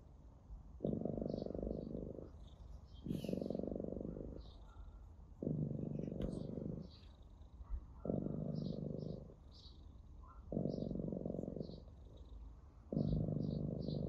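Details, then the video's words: Domestic orange tabby cat being stroked, purring steadily in rhythmic rumbling bursts of about one and a half seconds, separated by brief quieter gaps roughly every two seconds. Faint light clicks and rustles sit in the background. "Purring cat"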